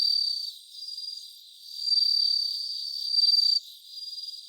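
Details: Around 3 a.m., 3 September 2023, a bell cricket rings in a live recording: high metallic trills rise and fall in waves, ending in a strong burst that stops sharply, with softer trilling continuing afterward.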